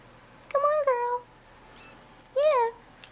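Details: Bottle-fed kittens crawling out of their tent in a nursery at feeding time; two clear rising-falling high meows, the first about 0.7 seconds long, the second shorter, over quiet room hum.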